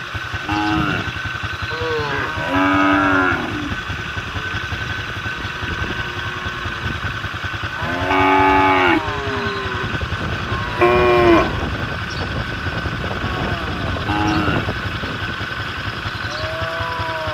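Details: Cattle calling the herd from the road, a run of repeated moos, some short and some long and loud, scattered across seventeen seconds over a constant motorcycle engine drone.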